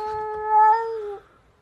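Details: Domestic cat in a fight with another cat at 7 am, letting out a single sustained, tonal yowl just over a second long, holding steady pitch then slightly rising before cutting off.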